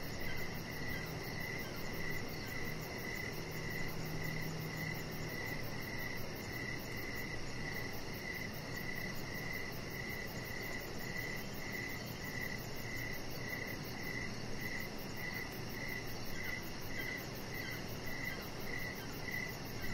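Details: Outdoor evening chorus of crickets near a deck, a rhythmic chirp repeating steadily about twice each second, backed by a softer high-pitched trill and continuous low hum.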